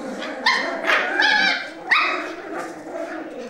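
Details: Play-fighting over a sock, four Cavalier King Charles Spaniel puppies give clear, high, tonal yips and a short wavering whine, each outburst followed by a low growl underneath.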